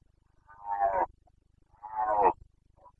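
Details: Roaring red deer stag of the Carpathians, Bucovina, during the September breeding season of 2022: two rough, rising-then-falling roars about a second apart, over a faint steady low hum.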